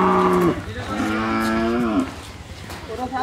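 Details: Pregnant Friesian cow, due to calve for the second time, on a dairy farm in Bangladesh, gives a long harmonic moo that falls at the end, then a second sustained moo, followed by a softer rising call.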